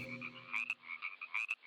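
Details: Frog croaking, a male calling with its inflated throat sac: short nasal croaks with bright ringing overtones, about eight pulses in under two seconds, irregularly spaced and rising in loudness toward the middle.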